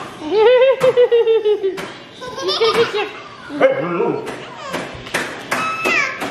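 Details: Very talkative Siberian Husky named Samadhi, vocalizing as a baby charges toward her indoors; long wavering, harmonic woo-woo howls in the opening seconds, then shorter broken yelps mixed with a child's high squeals and chatter.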